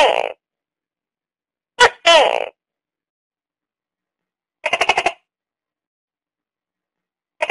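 A tokay gecko gives loud, croaking bursts, some split into two syllables, others a quick string of pulses.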